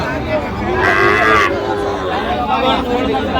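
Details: Sahiwal bull at a cattle market in Narayanganj on 30 January, a loud drawn-out bellow swelling about a second into the clip, with traders haggling over prices and crowd chatter throughout.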